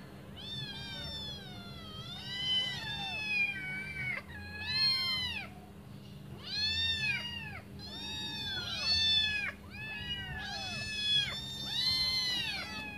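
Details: Five hungry kittens waiting for their mother to return and feed them give overlapping high, thin meows. The calls arch up and then fall, come in clusters every one to two seconds, and carry a faint steady hum underneath.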